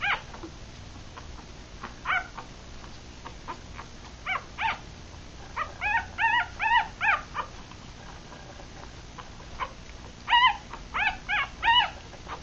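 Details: Newborn Rat Terrier-Chihuahua puppies, three days old and feeding with eyes closed, let out thin high squeals, scattered at first and then in quick runs of four or five, against a low background hiss.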